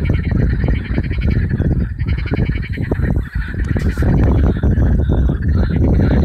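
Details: Warm May evening, 2015, Allhallows marshes, North Kent, where hundreds of marsh frogs call; loud, fast, rattling croaks pour out almost without pause, dozens of overlapping voices, with a brief dip near the middle and a deep rumble below.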